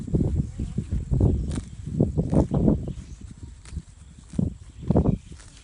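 A grazing horse makes deep, rhythmic crunching and tearing sounds as it pulls and chews grass.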